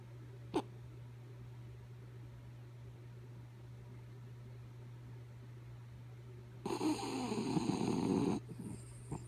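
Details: Kaya Boo, a dog, asleep and snoring: after a quiet stretch with a single faint click, one rough, rumbling snore lasts nearly two seconds, followed by a short breathy tail, with a constant low hum underneath.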